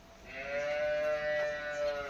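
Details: Holstein Friesian cow raised on an Indian dairy farm gives one steady, drawn-out moo of about two seconds. The tone is even and flat, rich in harmonics, and swells slightly toward the end against a quiet background.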